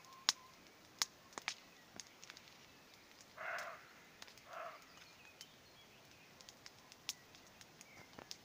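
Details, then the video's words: Distant roe deer on an evening in the countryside, giving two short rough barks about a second apart near the middle, over the steady popping and crackling of a nearby campfire. "Deer sounds"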